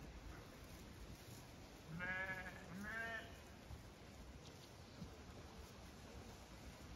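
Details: Zwartbles sheep on a regenerative farm in County Kilkenny, Ireland, leaving beet pulp pellets to gallop out a gate onto fresh grass; two harmonic, wavering bleats about a second apart over steady outdoor background noise.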